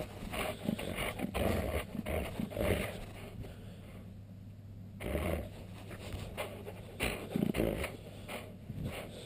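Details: A male husky, alsatian and Alaskan malamute cross growls and grumbles in short, low, pulsing bursts as he is teased and annoyed, with a brief quiet gap midway and scuffling noises throughout.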